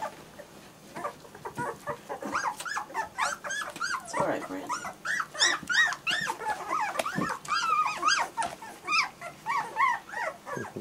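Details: German Shorthaired Pointer puppies whining together: a dense, overlapping chorus of high, arching whimpers and short yelps, several voices at once, rising and falling rapidly throughout with barely a pause.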